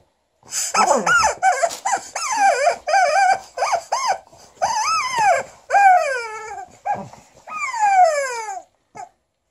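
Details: Liza, a female Alaskan Malamute pet, vocalizing angrily at her new chicken toy: rising and falling yowling barks and growls in rapid uneven bursts, some long descending whines, mixed with a high squeaky toy sound.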